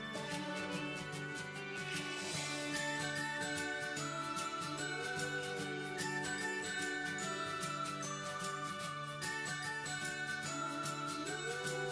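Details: Jingling festive music with bells and sustained tones plays throughout, with no animal sound present.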